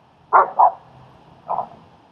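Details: German Shepherd named Strike helping to train and socialize a shy dog, Leonidas, during a dog training session in Queens, New York; three short, mid-pitched barks, two close together, then one after a pause, over a quiet background.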